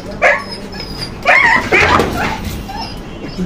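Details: A scared abandoned puppy during a rescue and treatment gives a run of high, strained yelps and whimpers, several sharp cries bunched together, while people talk close by and low background noise continues.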